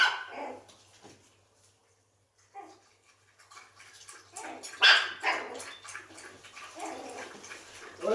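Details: Pekingese puppies eating and romping together, giving short bursts of high, rough yaps near the start, around two and a half seconds and again near five seconds, with scuffling and rustling noise between the bursts.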